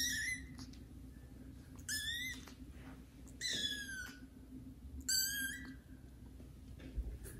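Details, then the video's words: Young kittens Caramel and Zephyr, newly exploring the house, meet adult cats Kira and Daddy and meow loudly; four strong high-pitched meows, each sliding downward, spaced roughly every one and a half seconds against faint room hum. "kittens meow loudly"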